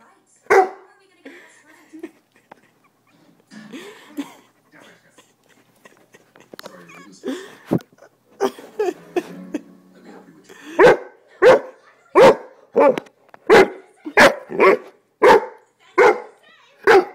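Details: A pet dog argues back while being told off for sitting on its owner. A stretch of the owner's speech with faint dog sounds comes first, then about eleven sharp, loud barks repeat roughly every half second.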